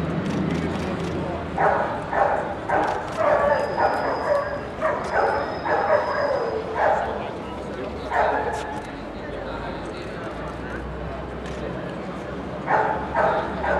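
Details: At an FCI Group 2 show, a junior puppy Doberman gives bark after bark in quick runs of four or five, falls quiet briefly, then barks again late on. Speech and hall chatter fill the background.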